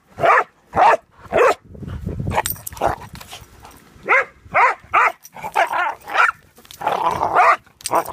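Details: Pudelpointers spatting over a bone, trading bursts of loud barks in quick, irregular runs, broken by a low rumbling growl near two seconds and a rougher, blurred snarling stretch toward the end.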